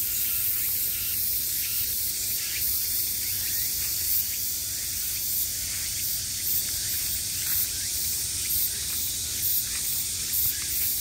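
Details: Summer cicadas buzzing, a shrill continuous hiss with regular surging pulses about four times a second, loudest in the highest register, with no other clear sounds.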